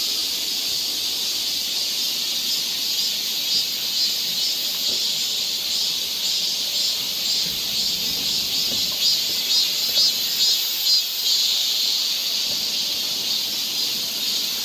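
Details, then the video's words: Cicadas singing in a summer forest along a trail in Seoul, Korea: a dense, continuous high-pitched buzzing drone with a gentle pulsing shimmer throughout, steady in loudness, nothing else standing out. "cicada sound"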